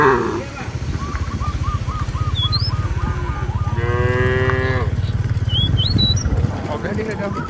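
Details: Village cattle wandering in a field call their companions to head back to the barn. One clear, rich moo of about a second sounds midway, over a constant low engine-like drone, with quick bird chirps and whistles around it.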